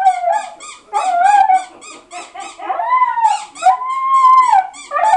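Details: Dog crying at the sound of a toy, giving drawn-out wavering whines and howl-like cries mixed with short high squeaks, rising then falling in pitch, loud and close in a small room.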